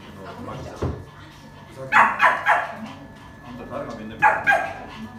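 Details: Poodle with a biting problem and a queen-like temperament, during a training session; a few sharp barks come in pairs near the middle and end, with a person talking quietly between them.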